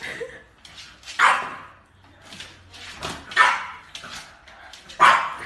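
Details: French Bulldog puppies yipping and barking indoors: short sharp barks about every one to two seconds, each a bright burst with a whining tail, a person speaking softly between them.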